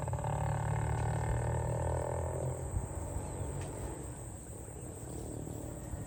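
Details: Farm cows herded toward the barn: a long, low, droning moo fills the first three seconds, then fades into a constant hissing background.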